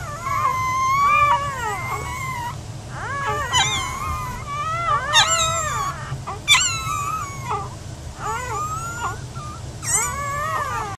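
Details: Several newborn Giant Schnauzer pups whimpering and squealing continuously, wavering rising-and-falling cries interrupted by sharp yelps, with a low rumble underneath.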